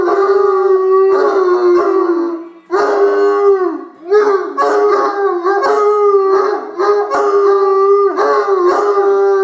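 A Bloodhound howls in long, steady, mellow tones, with several voices overlapping in a chorus.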